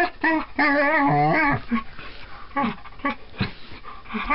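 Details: Talking collie dog playing with a tabby cat gives a long, wavering, moaning whine of about one second. Shorter yelping whines and soft rustling follow.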